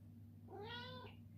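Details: Ragdoll cat Coffee Cat asking for his morning treat indoors gives a single clear meow that rises and then falls over about half a second, with a faint low hum in the room.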